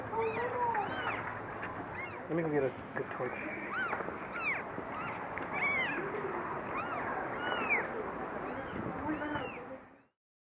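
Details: Two tiny newborn kittens, eyes just opened, crying from the bottom of a dirty dumpster during their rescue: high, arching mews repeated and overlapping every second or so, with people talking nearby.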